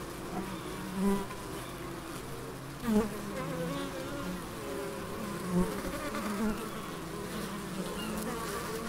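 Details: Several bees in the Biblical Gardens at Elgin, Moray, Scotland, producing a constant deep drone, with louder swells about every two to three seconds as single bees fly close.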